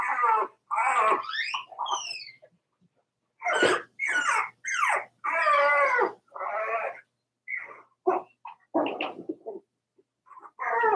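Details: Four-week-old Cavalier King Charles Spaniel puppies from Daisy's litter, indoors in their puppy pen, give a run of high, wavering whines and squeals. The whines rise and fall in pitch, with short bursts spread across the clip and brief silent gaps.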